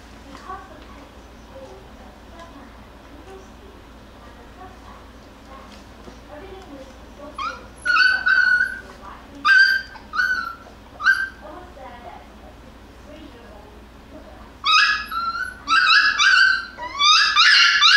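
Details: Jackabee (Beagle and Jack Russell cross) puppies, Miss Sansa's litter, playing and wrestling indoors; after quiet background murmur, bursts of high, harmonic yelping cries come in clustered runs from midway, growing denser and louder toward the end.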